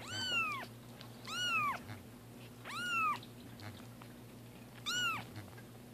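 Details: Loud, clear meows from cats Roger Taylor and Simon LeBon learning to take their first bath: four harmonic-rich, downward-bending cries spaced about every one to two seconds, steady hum underneath.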